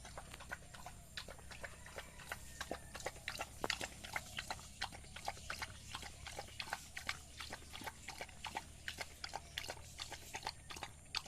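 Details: Village dog eating a meal of rice, heard as rapid moist chewing clicks and lip smacks, close and irregular, about three per second, with a constant low hum underneath.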